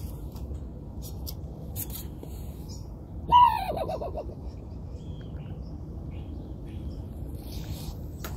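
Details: An aggressive raccoon that seems to want to fight gives one sudden loud bark, a harsh harmonic cry dropping in pitch, in the middle of the clip. Steady low background hum surrounds it and otherwise it is quiet.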